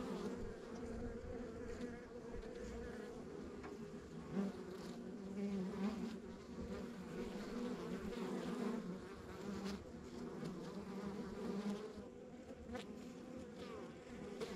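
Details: Backyard hive of honey bees on a rural property, a continuous, even buzzing drone of many bees, pitch wavering slightly as individuals pass, with soft low background rumble.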